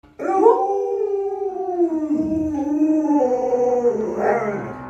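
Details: Pet Alaskan Malamute howling indoors while being posed and photographed. A long, smooth, harmonic howl falls gradually, dips, then lifts into a brighter rise near the end. Faint music plays underneath.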